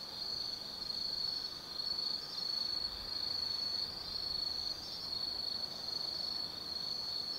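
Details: Night chorus of autumn insects in a forest at Kaizu, Gifu Prefecture, Japan, from a lookout 180 m up: continuous shrill ringing tone with rhythmic pulsing bursts, swelling and fading every second or so.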